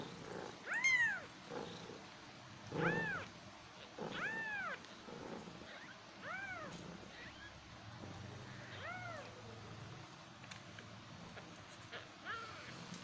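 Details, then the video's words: Kittens meowing: a series of short arched meows, high and thin, about one every second or two, fading softer toward the end over a low background hum. "Cat Voice | cat kittens meowing | meow meow"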